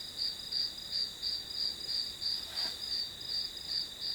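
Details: Short stretch of grass insect sound behind a study session, with regular shrill pulses about three a second riding on a steady high hum.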